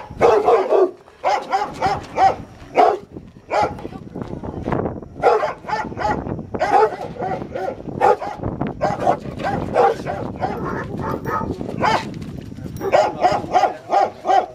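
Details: Rottweiler during protection training, biting a sleeve for the first time, gives rapid, repeated gruff barks in clusters across the recording, interspersed with a handler's encouraging speech.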